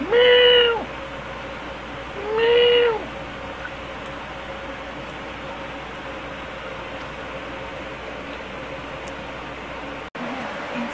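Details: Pet cat Angel at dinner time giving two short, arching meows about two seconds apart, each rising then falling, followed by a long quiet stretch of room hum.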